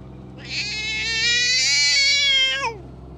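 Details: One continuous harsh yowl about two seconds long from a belligerent stray cat, bright and strained, ending in a quick falling drop.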